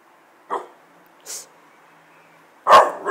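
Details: American Bulldog barking in short bursts: one clipped bark, a fainter yap, then a loud, harsh double bark at the end, in a quiet setting.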